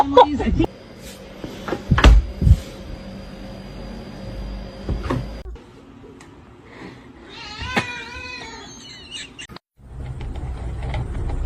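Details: A pet cat lets out a short, bending meow that rises then falls, amid clattering household noises, a steady hum and scattered human voices.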